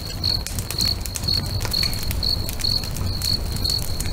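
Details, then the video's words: Crickets singing beside a crackling bonfire next to a lake at sunset: a steady band of high chirps, pulsed roughly every half second, over broadband fire crackles and a low rumbling wash. "FIRE & CRICKETS AMBIENCE"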